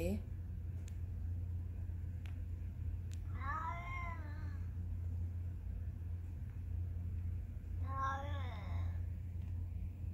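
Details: Cat giving two separate meows about four seconds apart, both brief, bright and arching, with a few faint clicks and a steady low hum in between.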